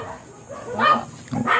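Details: Ziggs, a blue Miniature Pinscher, at a kennel in Manaoag in the morning, gives a few short, sharp barks in quick succession near the end, with a faint murmur of voices underneath.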